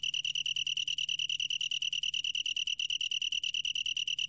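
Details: Long-tailed tree cricket singing a steady, high, pure trill of rapid pulses, about ten per second, unbroken throughout, with a faint low hum beneath; recording from Korea's National Institute of Biological Resources, 2020.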